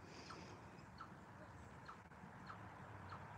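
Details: Chippy the chipmunk keeps calling after moving to the other side, a series of faint, brief broop notes repeated roughly every half second against a busy low rumble.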